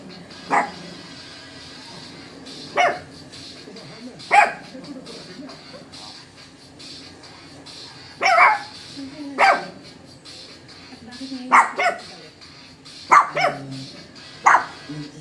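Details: Shih Tzu mother and her puppies barking together, working as a team: short sharp barks in scattered bursts, some doubled or tripled in quick succession, over a steady background hiss.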